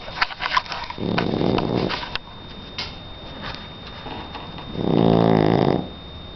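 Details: Sleeping three-month-old Shar Pei puppy named Donna gives two rough snoring breaths, a softer one near the start and a louder, drawn-out rasp toward the end, amid faint indoor background hiss.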